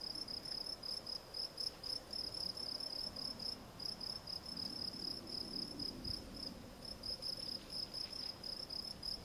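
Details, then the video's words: Field cricket (Gryllus campestris) singing clear, high, ringing chirps repeated quickly and regularly, broken by one brief pause, over a quiet background. "Field Cricket - Gryllus campestris"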